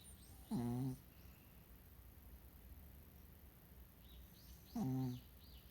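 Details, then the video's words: Sleeping Chihuahua snoring: two short, tonal, nasal snores with a low hum and stacked overtones, about four seconds apart, with faint bird chirps in the background. "ちわわの開き 〜いびきを添えて〜"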